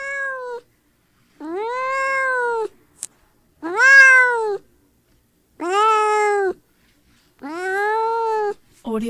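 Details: Outdoor kitten calling in a steady series of five insistent, drawn-out meows roughly every two seconds, each sliding upward then levelling off, with clean silence between.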